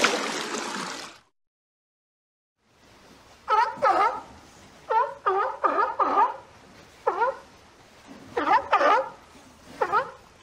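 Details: Sea lion. A burst of broadband rushing noise opens, then falls silent. A sea lion follows with repeated harsh, honking barks, some single and some in quick pairs or triplets, spaced unevenly over several seconds.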